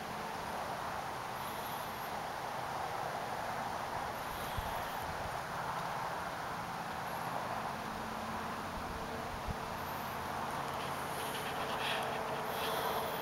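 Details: Male broad-winged bush katydid singing in the Oldman River valley, Lethbridge, Alberta, an atypical song, apparently answering another male's advertisement song and timed for a female's reply: faint, high, hissing bursts spaced several seconds apart over steady background hiss.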